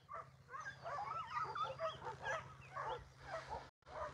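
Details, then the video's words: Abandoned female puppy covered in ticks, found crying outside Takis Shelter, possibly with other puppies nearby: dense, overlapping wavering whines and whimpers, rising and falling quickly, over a steady low electrical hum with a brief dropout near the end. "I hear a puppy crying outside of the shelter"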